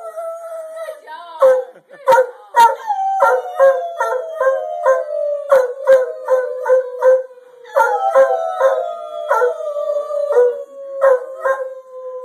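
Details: Dreyfus, a pet dog encouraged to howl, holds long drawn-out wails that glide gently downward, restarting around the eighth second, while choppy rhythmic voices and bursts of sound pulse over them.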